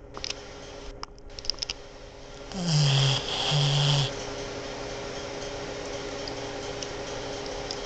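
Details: A female Boston Terrier snores in two deep, rasping breaths while asleep, low and rough like a grown man.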